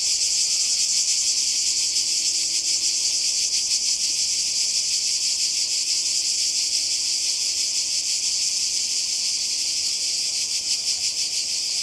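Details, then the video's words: Summer cicada chorus on the Croatian coast in 2020: an unbroken, piercing high-pitched drone with a fine pulsing texture that stays even in loudness from start to finish. "Kroatien Zikaden und Meer"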